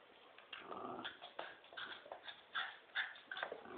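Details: During a tug-of-war game between a Poodle and a Dobermann, choppy, broken growls rise and fall irregularly, two or three rough pulses a second with brief harsher snarls between.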